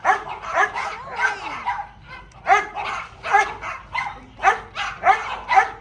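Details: Small dog playing lets out shrill, ringing yips roughly once a second, a brief pause midway, then a louder, evenly spaced run of sharp barks.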